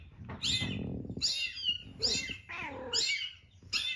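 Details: Cat giving short, high-pitched mews that slide downward, about five in four seconds, over a low rumbling background noise at the start.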